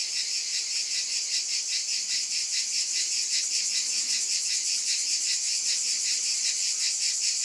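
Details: Cicadas droning together in a bright, high electric buzz that swells and fades in quick regular pulses, roughly two and a half per second, steady and unbroken.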